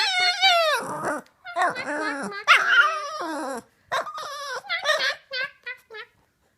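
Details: A female Boston Terrier howls along with her owner's voice in wavering, falling tones, imitating the owner's funny sounds, as she loves to do especially after waking in the morning.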